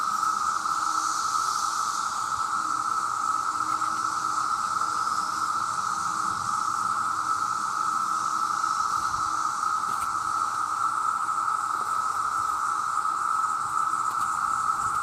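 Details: Male cicadas in their millions call for mates, the very loud sound forming an even, unchanging whine throughout, topped by a faint airy hiss, with no breaks or other clear sounds.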